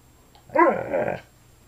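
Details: Alaskan Malamute wanting to be petted, giving one short harmonic grumbling woo, rising and then wavering for about two thirds of a second, inside a small room.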